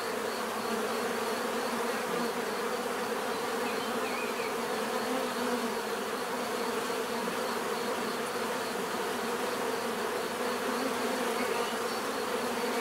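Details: Dense, even buzzing of bees forming a continuous hum with stacked tones, unchanging from start to finish.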